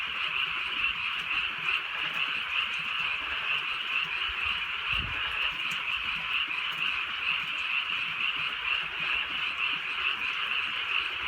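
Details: On a rainy night in the countryside, frogs keep up a steady, buzzy chorus of overlapping croaks, roughly one pulse per second standing out, plus a brief low thud of rain midway.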